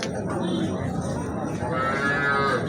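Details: At a Habiganj cattle market in Bangladesh, a desi cow or calf gives a short tonal moo near the end, steady and slightly falling. Market voices and crowd noise run underneath throughout.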